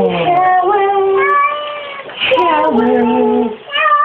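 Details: Talkative female cat Glu in the shower giving long, wavering meows that glide up and down in pitch, almost sing-song, with one sustained low-pitched note near the end.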